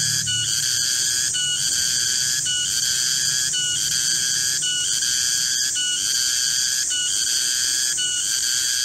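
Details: Garengpung cicada in a garden during the middle of the day, producing an intense, shrill, metallic whine with regular short interruptions about once per second.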